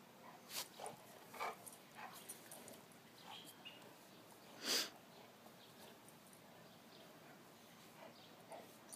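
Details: Sid, a rescued male golden retriever and basset hound mix from the Humane Society, playing in a backyard: scattered short, noisy snorts and puffs at irregular intervals, with one louder burst midway and a quiet outdoor background.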